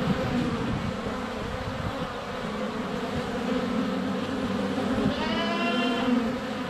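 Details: Crowd of honey bees in flight by their hive entrance in February sun, recorded close with a GoPro Hero 7 Black; continuous deep buzzing, joined near the end by a short trilling birdsong phrase.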